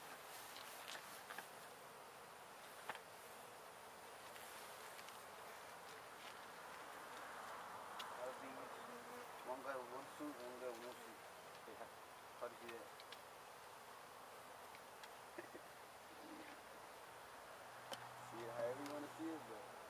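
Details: Honey bees from a gentle hive, removed from a house window in Edinburg, Texas, keep up a continuous droning buzz while a man talks intermittently in the middle and near the end.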